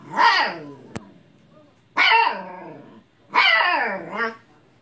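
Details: Siberian Husky puppy, indoors with an old cat, barking and yelling because the cat will not play: three loud harmonic howl-barks about 1.5 seconds apart, each bending up then sliding down, with a soft click between.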